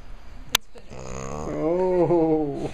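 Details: French Bulldog indoors, scared and worried after hearing a cat sound played from a phone; a sharp click, then a drawn-out whine with wavering, slightly rising then falling pitch lasting over a second.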